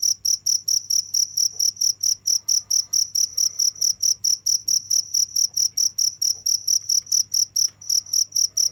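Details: A cricket keeps up rhythmic, shrill chirps, evenly spaced at about five per second, loud and steady throughout, with a short hitch near the end and quiet low background hum.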